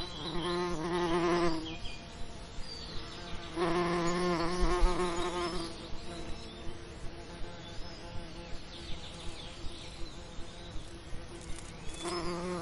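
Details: Bees buzzing around summer lavender: low droning hums swell as insects pass close, in bursts of one to two seconds separated by quieter gaps, with faint high bird chirps in the background.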